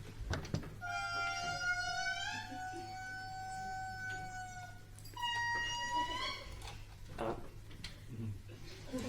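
An indri's eerie wailing song: long, strong tones that hold steady and then slide and waver.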